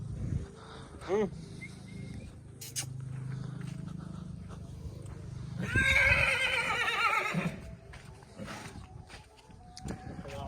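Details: Nukra filly, two and a half years old and 61 inches tall, gives a loud, quavering whinny lasting about two seconds after a brief earlier squeal, with men talking nearby before and after.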